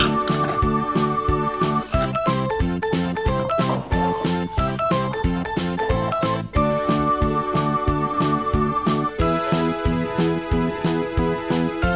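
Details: Upbeat tinkling children's-style music with a steady beat fills the whole stretch, with no animal sound.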